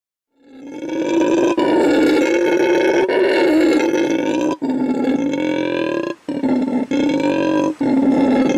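A howler monkey gives a loud, sustained roaring howl, rough and harmonic, held steadily with brief breaks about every one and a half seconds.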